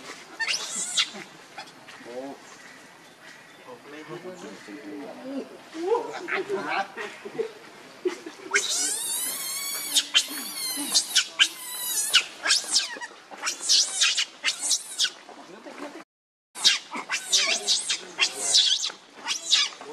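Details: Monkey Rainbow, very angry, protecting Lucie from Kachoy: quieter chatter at first, then from the middle a run of loud, shrill, harmonic screams in rapid bursts, with a short silent gap near the end.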